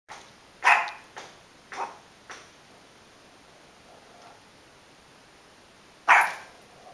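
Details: Dog barking as a cat passes by: four sharp, harsh barks in quick succession within two seconds, then a pause and a single loud bark, with steady background hiss.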